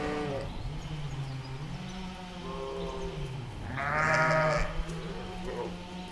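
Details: Sheep, ewe and lamb, in a meadow. Faint bleats early on, then one loud, bright, quavering bleat in the second half over a constant low droning hum.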